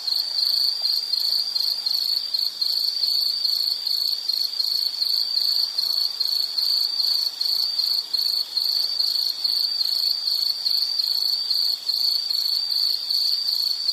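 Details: Nature soundscape dominated by one insect's high, ringing chirps, pulsed bursts repeated steadily about twice a second for the whole stretch, with occasional brief drops in volume and soft hiss behind.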